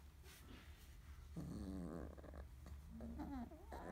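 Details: Thirty-day-old field-type Labrador Retriever pups, a litter romping together after nursing and eating; low wavering growl-whines that rise and bend in pitch, overlapping in short bursts amid close scuffling.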